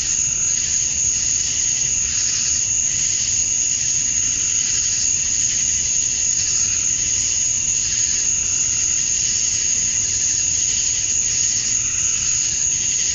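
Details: Male cicadas singing to attract females at dusk on a summer night in Georgia, USA: a dense, unbroken high-pitched shrill drone, steady in loudness throughout, with faint softer pulsing beneath.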